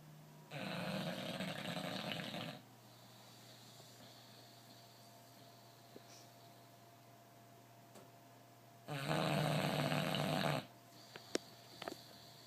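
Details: Sleeping bulldog, called the loudest in all the land, snoring in two long rasping, broadband breaths of about two seconds each, separated by roughly six seconds of quiet indoor hum.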